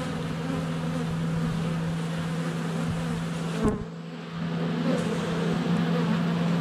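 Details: Honey bees at the hive entrance in February sunshine, GoPro Hero 7 Black held less than a foot away; constant buzzing drone broken by a sharp knock and a short dip in loudness as a bee lands on the camera.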